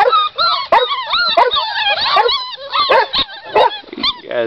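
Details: A litter of Pit Bull and Boxer mix puppies whining and yelping together. Many high, bending whimpers overlap in quick succession, with short sharp yips among them. A person talks softly in between.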